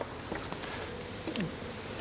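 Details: On June 13, 2024, during a hive inspection, western honey bees from a strong colony buzz around the opened, bee-filled hive. Single bees drone past in brief falling whines over a steady hiss and soft rustling.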